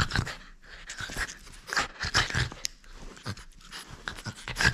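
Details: French Bulldog refusing to let go of a toy during play, giving fast, husky, snuffling breaths and snorts that come in choppy bursts roughly every half second.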